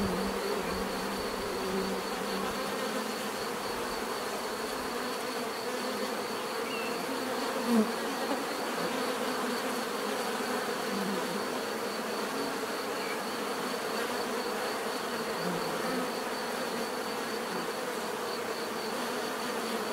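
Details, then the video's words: Steady droning of many bees over twenty seconds, a dense hum with a thin high whine, broken only by one brief soft click midway. "bees therapy relaxing natural buzzing sound"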